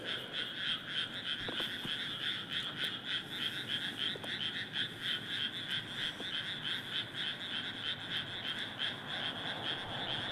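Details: Large frog chorus in a Japanese rice paddy: continuous, rapid rattling croaks from many frogs overlapping, pulsing about three to four times per second with steady loudness throughout.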